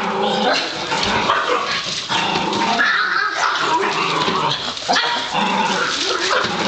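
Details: Excited Pug barking and growling nonstop while the trash is carried out, a dense run of yapping barks over household noise and voices.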